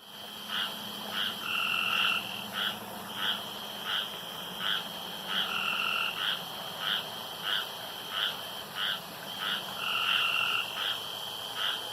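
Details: Night frogs at a pond alternate short clipped croaks with longer rasping trills of about a second, the pattern returning three times, over a continuous high-pitched hum.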